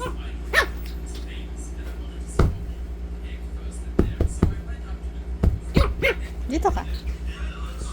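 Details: A Shih Tzu puppy playing nonstop gives short, high, bending yips and whines over a steady low hum.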